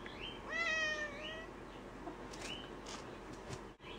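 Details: Vocal gray tabby female cat, confined indoors for a few days while a little under the weather and taking medication, gives one clear, bright meow followed by two softer, short rising mews and light household noises.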